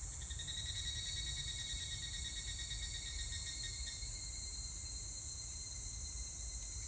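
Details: Rapidly pulsed, metallic trilling from a higurashi cicada, recorded 25 July 2019, slowing and dropping away after about four seconds over a continuous shrill background chorus.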